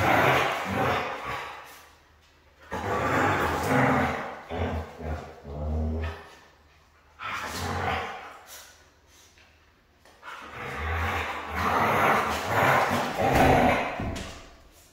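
A Siberian Husky gives loud, rough, drawn-out vocal bursts in several long bouts.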